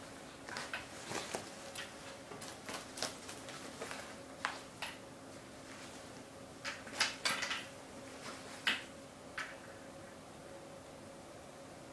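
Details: Scattered clicks and knocks like doors and drawers in a small room over a faint steady hum, with no animal sound.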